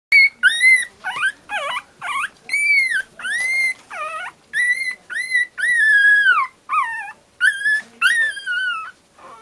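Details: Pomeranian. Young Pomeranians give a string of thin, high howls, each note rising and bending before breaking off. The cries come in quick succession, some short and yelping, others longer and quavering.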